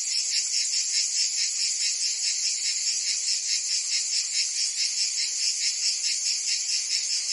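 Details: Provence cicadas in summer, France: an intense high-pitched rattling buzz, rhythmically throbbing about twice per second, with the loud insect wall never pausing.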